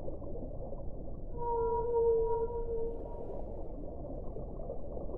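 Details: Single smooth whale tone with faint overtones swells and holds for about two seconds, then fades against a steady low rumble.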